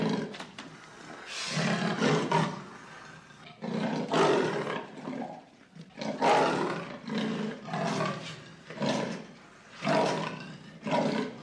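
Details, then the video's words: Leopard roaring in rough, raspy bursts lasting about a second each, repeated roughly every two seconds with short quiet gaps between, deep and growling with a broad hissing edge; no other sounds stand out. "Voice leopard, leopard roar, scream leopard, leopard sound"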